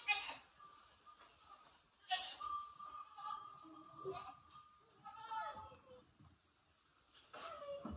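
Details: Goats calling in the barn at night during a snowstorm while waiting for their grain at evening chores. Several harmonic, wavering bleats come a couple of seconds apart, with a steady faint tone and soft barn noise behind them.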